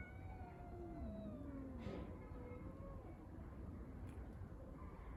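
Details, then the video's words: Stray street cats in a fight over the litter box, giving long, quavering, low yowls that bend and dip, set against constant low-pitched background noise. "Street cats fighting and making strange noises over the litter box !!!"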